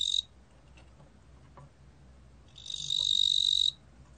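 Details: A 뚱보귀뚜라미 cricket recorded in 2020 ends one high buzzing trill. After a quiet gap of over two seconds it starts another steady, shrill trill of about a second.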